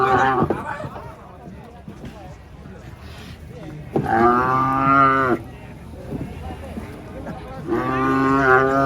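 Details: Angry cow coming down from a truck in Indonesia, giving loud harmonic moos: a short one at the start, then two drawn-out bellows of over a second each, with men talking and handling noise between.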